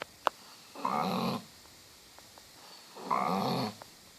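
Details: Sleeping dog snoring, a sound likened to a cow: two long, rough, droning breaths, each lasting about half a second and spaced about two seconds apart, with a faint click between them in a quiet room.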